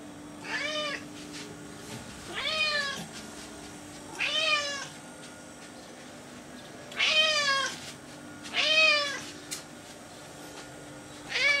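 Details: Repeated meowing from Florence, a domestic cat roaming her kitchen: six short, arched meows arrive every one to two seconds, each climbing then dropping, with a gap midway and a low constant hum underneath.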